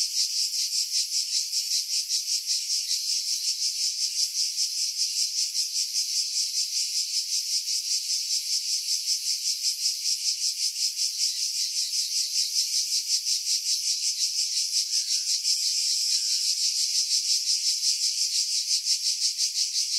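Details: Cicadas in Greek pine woods above Pefkos Bay, Skiros, recorded July 2018 with a Sony RX3 and external Sony mic: continuous high rasping whine, rapidly throbbing, steady in loudness throughout, wind noise filtered out.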